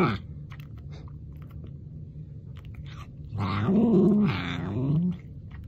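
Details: Domestic cat calling indoors, scolding-sounding, a drawn-out, low, wavering meow-like sound with rising and falling pitch, ending in a short upturned note; a person exclaims just before, with soft room noise throughout.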